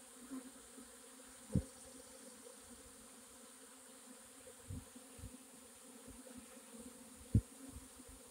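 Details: Swarming honey bees dated 4/26/21 hum in a constant low drone, broken by a few sharp knocks or thumps near the recorder.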